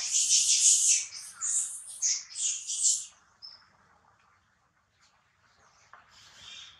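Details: Newborn female monkey giving loud, shrill squeals in a rapid run of bursts for about three seconds, then going quiet apart from one thin short squeak and a soft trailing call near the end.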